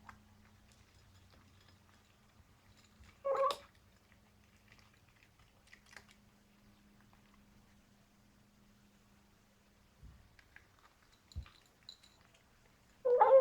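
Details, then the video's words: Simba, a 14-week-old Bengal kitten, makes funny noises while eating in a small room. A brief warbling cry comes early, then long quiet with soft clicks, and a louder harmonic cry closes the clip. "Funny eating noise"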